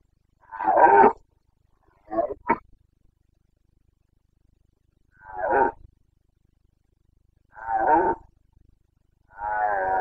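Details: Carpathian red deer stag in the Bucovina mountains of Romania during the 2022 rut, late September: five short harsh roars, one doubled, spaced about two seconds apart over quiet background.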